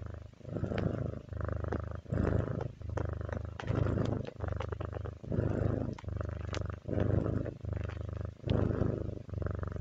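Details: Kitty's relaxing purr, a low, buzzing rumble pulsing in regular breath-length bursts under a second apart, with small ticking noises scattered on top.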